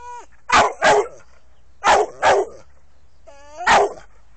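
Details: SAM, an American Staffordshire Terrier, lets out loud barks in a pattern of two, two, then one. Several barks begin with a brief high whine before the harsh, full-voiced burst.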